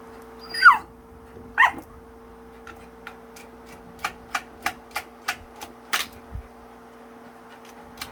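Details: Tan, a pet dog, responds with excitement to the fan remote's sound: two brief rising-falling squeaky whines early on, then a run of crisp clicks roughly once a second.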